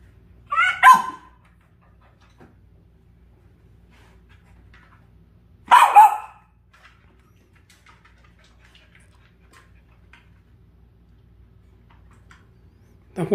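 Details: Dachshund reacting to a puppy stuck beside an air conditioner: two sharp, loud barks about five seconds apart, with a third starting at the very end, over quiet low background hum.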